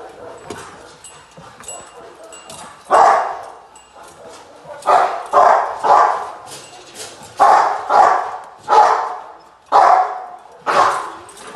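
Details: Rottweiler Gypsy v LordsNLadies during protection training post work, July 8, 2021: after a quieter stretch, loud rough barks return in pairs and singles about once a second.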